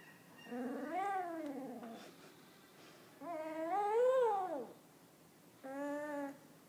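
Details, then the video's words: A puppy one week old producing three drawn-out whining cries, each arching up and down in pitch, separated by short pauses, quiet background. "Puppy talking 1 week old"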